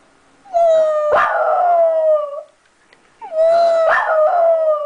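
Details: Pet dog left at home howling after her sister was driven off to the vet; two long, steady, slightly falling tonal howls, each about two seconds, separated by a short pause.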